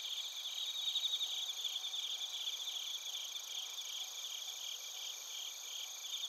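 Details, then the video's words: Crickets and bell crickets calling together in Narita, Chiba Prefecture, Japan, via a TASCAM Portacapture X8: a sharp burst of rapid chirps early on, then an even, high ringing trill chorus that continues to the end. "スズムシとコオロギの鳴き声 - Chirping of crickets"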